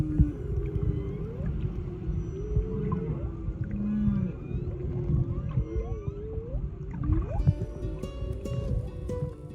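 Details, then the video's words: Whale song heard underwater while swimming near a hotel in Kaʻanapali, Maui, on the first day, during the December to May migration season; loud rising and falling moans and whoops over a deep rumbling underwater hiss, with higher squeaks near the end. "En plongeant la tête sous l'eau, nous entendons le chant des baleines. C'est assez fort."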